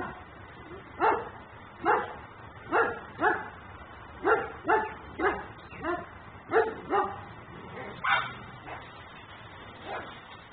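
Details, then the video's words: A dog left outside in Mecklenburg barks persistently as a nuisance, recorded on a home camera: single and paired rough barks recur roughly every half second to second, evenly spaced, muffled and thin in tone, with no other clear sounds. "Barking dog no one hears.......but me"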